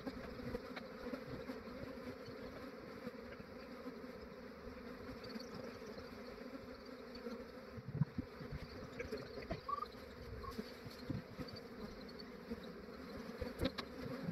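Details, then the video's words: Early-morning capture of a massive honey bee swarm in Australia. The massed wingbeats form a thick, unbroken drone, punctuated now and then by light taps and knocks of equipment. "Capturing a massive bee swarm"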